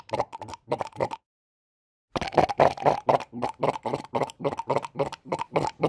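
A sea lion gives rapid, hoarse barks, several each second, in bursts broken by a short pause.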